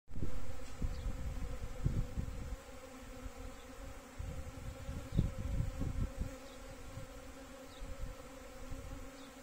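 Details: Honey bees searching for water during a drought buzz in a low, steady drone that swells and fades as individuals fly close.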